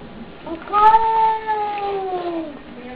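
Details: After a fight with a neighbour's cat, a cat at the cat flap utters one long, steady, tonal yowl that swells, holds, then slowly falls away into a quieter moan.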